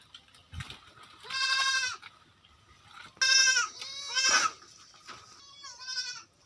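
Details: Goats on a farm in West Bengal, India, bleating: a long wavering harmonic bleat, then a burst of several strained, quavering bleats in quick succession, and a final shorter rising bleat, over a quiet background.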